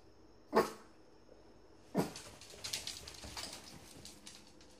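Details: Shih Tzu. Two quick, sharp barks from a Shih Tzu welcome its owner home, spaced more than a second apart. Scuffling and household rustling follow the barks.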